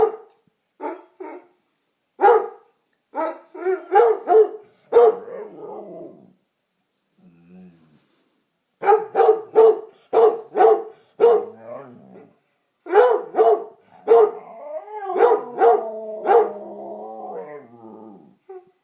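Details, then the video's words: Pet Redbone Coonhound Piper barks and bays at home while Damion joins in. Steady runs of sharp barks repeat about once a second, separated by pauses; near the end the barking slides into a long, wavering, moaning howl. "Howling, yawning and talking.........Damion does it all!"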